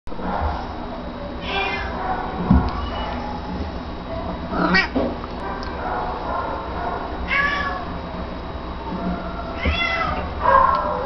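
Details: Domestic Shorthair cat up for adoption, recorded 23 May 2012: several drawn-out meows spaced a few seconds apart over steady background hum and room noise.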